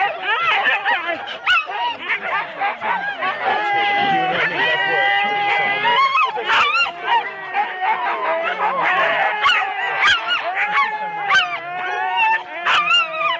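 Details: Rendlesham sled start in January 2016 with 4-dog Husky teams: many dogs bark, yelp and wail together in a continuous excited clamour, voices of people faintly beneath.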